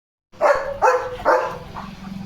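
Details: Leo, a pet German Shepherd, reacting as rain arrives after hearing cattle approaching and standing ready: three loud, deep barks about half a second apart, then a fainter fourth, with low rumbling background.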